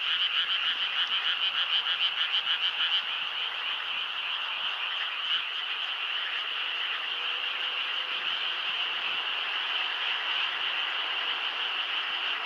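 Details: Many frogs croaking together at night, a strong rhythmic pulsed chorus at first that softens into a steadier continuous trill for the rest of the stretch.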